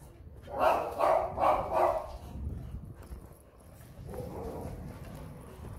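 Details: Siberian Husky puppies of the woolly type, named Rony and Kym, give four quick, loud, yappy barks in a steady burst at the start, then a softer drawn-out whine, with faint human voice in the background.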